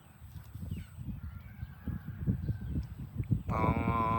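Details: While farm cows are herded to the barn, low thumping and shuffling are heard before a cow's rich, harmonic moo starts abruptly at the end.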